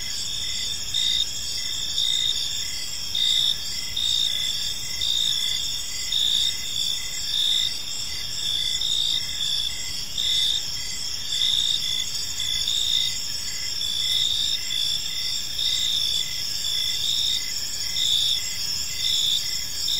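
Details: Crickets chirping in a peaceful park as evening unfolds: a dense, steady insect chorus of high, pulsing trills layered at several pitches, with louder bursts swelling roughly once a second over a soft low background hiss.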